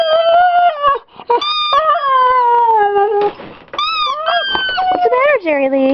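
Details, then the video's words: Indoors, a Siberian Husky whines at his squeezed squeaky toy: continuous wavering, falling cries and rising yelps, with a person talking softly over them. "Siberian Husky (Jerry Lee) crys with toy"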